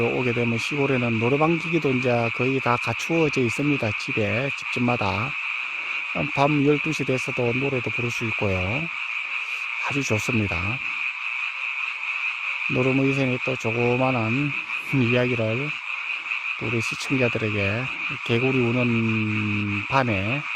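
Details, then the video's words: Mountain-village frogs croaking through the night in their brief season; long stretch of deep, harmonic, wavering croaks in bursts with short silences, backed throughout by an unbroken shrill chorus. "개구리 소리"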